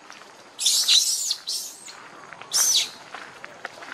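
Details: A tiny young monkey, wandering away from its group, gives loud, shrill, high-pitched crying calls in short bursts, a few seconds apart.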